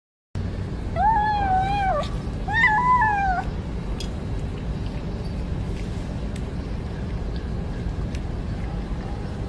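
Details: Cat giving two drawn-out meows back to back, each about a second long, arching up and then sliding down, followed by a steady low background hum and a few faint clicks.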